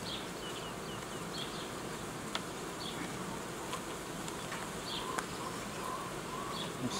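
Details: Honey bee colonies at an apiary, where old queens are being replaced and new colonies formed, give a continuous, dense hum. Scattered faint high chirps and several sharp clicks break in over the droning.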